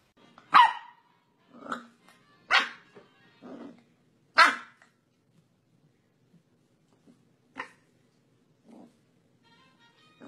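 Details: Corgi puppies giving short, sharp yips and barks, about five strong ones in the first half, then a few fainter scattered ones against a quiet background.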